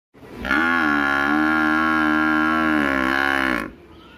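A water buffalo gives one long, steady, low bellowing moo lasting about three seconds.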